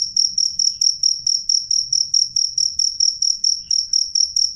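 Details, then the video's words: A cricket calls with piercing, clean chirps, each a quick high pulse with a fainter upper overtone, repeated at a steady quick beat against quiet low background hum. "suara jangkrik jernih keras"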